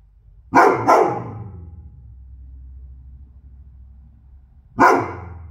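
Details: Loki, a goldendoodle, gives a quick pair of sharp barks, then a low rumbling hum of background noise before one more loud bark near the end.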